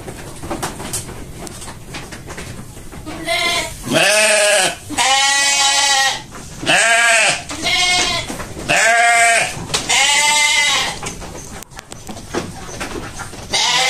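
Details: Indonesian sheep on a farm bleating loudly in a series of about five long, wavering, harmonic-rich bleats, each lasting around a second, separated by brief pauses, with faint background noise between calls.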